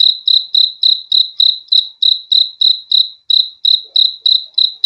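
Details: One cricket keeps up a fast series of sharp, high trilled chirps, evenly spaced around three per second, with one slightly longer gap midway; quiet background.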